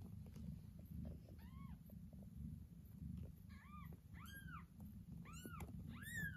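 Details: Mother cat carrying her kitten back after the kittens were taken away; several rising-then-falling meows, growing louder and more frequent toward the end, over a steady low rumbling background.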